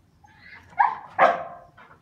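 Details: English Pointer giving a rising whine that breaks into two loud, strained barks about half a second apart, trailing off into a softer whimper.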